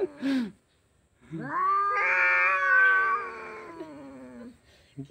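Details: Two cats fighting: a short dipping yowl, a pause, then a loud, strained, rising and wavering wail lasting about three seconds with harsh upper harmonics, fading downward at the end.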